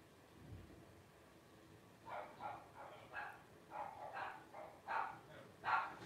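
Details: Newborn litter of five Blenheim Cavalier King Charles Spaniels, twelve days old, from parents Paris and Spike; quiet opening, then a series of thin, reedy whimpers roughly once a second, rising in loudness toward the close.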